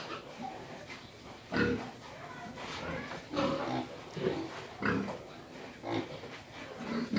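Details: Sparse pig grunts come about once a second, short and nasal, with quiet spells between them and faint human voices in the background.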